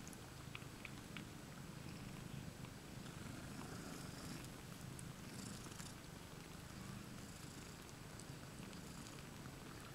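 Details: The domestic cats IO-KHÔ and LOLLYPOP, two mothers with seven kittens in one basket, 20 May 2015; a low, pulsing purr runs steadily, with soft rustling and hiss above it.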